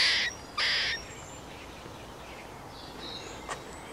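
A squirrel gives two harsh, raspy bursts in quick succession, followed by faint high chirps.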